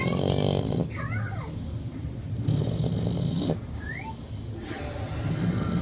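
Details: Born-deaf French bulldog snoring heavily, long harsh breaths of about a second repeating every two seconds or so, while brief high gliding vocal sounds drift in the quieter stretches between breaths.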